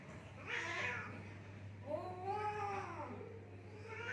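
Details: Two cats fighting in Assam, India: a harsh screech at the start, then a long, wavering, moaning yowl that rises and sinks, with a constant low hum underneath.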